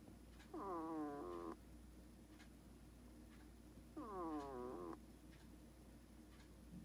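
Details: Sleeping pet hedgehog snoring: two reedy, whistling snores, each lasting about a second and wavering downward in pitch, about three seconds apart, with a constant faint hum underneath.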